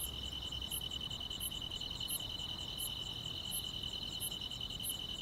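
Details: Countryside grass insects singing on a summer night, an unbroken high whirring trill plus regularly spaced short piercing chirps about three times every two seconds, faint low hum beneath.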